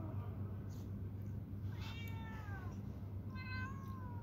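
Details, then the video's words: Domestic cat during a fight: two faint, drawn-out harmonic yowls, the first sliding downward near the middle, the second starting higher and falling, over a steady low hum. "Cat faiting real sound বিরালের জগরা"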